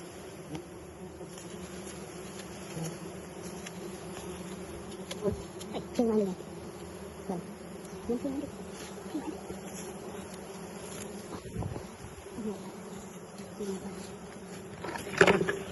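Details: Wild bees during a honey harvest, steady low droning hum of the swarm throughout, with scattered clicks, knocks and handling noises.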